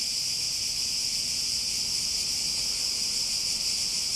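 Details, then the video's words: Cicadas producing a loud, constant, high buzzing whine with no gaps, a dense insect wall of sound over faint low background noise. "Relaxing Sounds With Cicadas"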